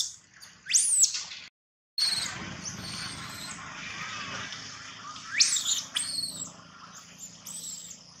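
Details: Baby monkey Gino crying loudly, giving shrill, sharply rising squeals near the start and again midway, separated by a brief silence and a steady hiss of background noise.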